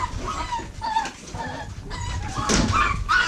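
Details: Soft, short whining notes from several American Bully puppies, offspring of Diesel aka The Big Mac and Mia at Royal Kennels, come in scattered bursts over low background rumble, with one louder squeal late on.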